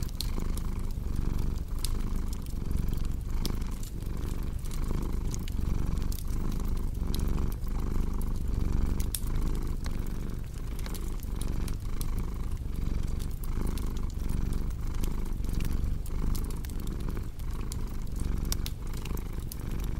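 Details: Domestic cat purring steadily and low, its rumble rising and falling with each breath roughly every 0.8 seconds, mixed with the sharp pops and snaps of a crackling fireplace, for relaxation and sleep.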